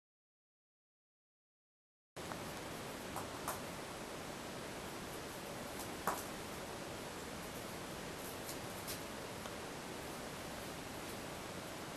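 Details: Silence at first, then steady hiss of an indoor room with faint rustles and a soft knock, no animal voice heard.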